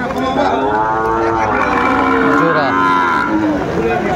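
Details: Cattle lowing at a rainy livestock market in Madaripur, Bangladesh, on 3 September 2024, where Sahiwal bulls are being bought; a long, rich harmonic moo carries through the whole stretch, with overlapping lows and faint human voices in the background.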